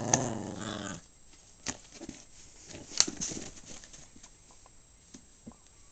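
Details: Small pet dog, called a Maltese or Shih Tzu by its owner, indoors: a low, rough harmonic growl lasts about one second at the start, then only scattered clicks, taps and faint handling noises follow.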